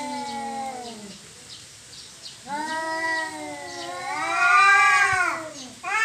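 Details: Territorial cat fight: a low moaning yowl fades out, then after a short pause a long rising wail builds into a loud, harsh, strained peak before dropping away and starting again.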